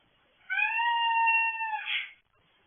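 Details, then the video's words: Cat heard in a garage at night, by the owner's guess, giving one long steady drawn-out meow of about one and a half seconds, ending with a brief rougher note; quiet background. "weird noise probably the cat"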